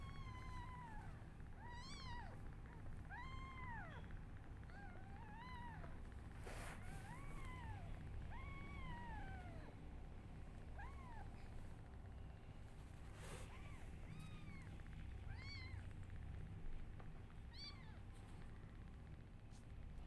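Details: Several newborn kittens cry loudly while their mother is not feeling well: a steady stream of high, arching mews, some short and others drawn out, repeated every second or two throughout over a low background hum.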